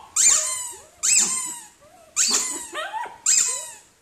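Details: Shrill poodle barks, roughly one per second, four or five in all, each a harsh high burst trailing into a short whining tone that falls away.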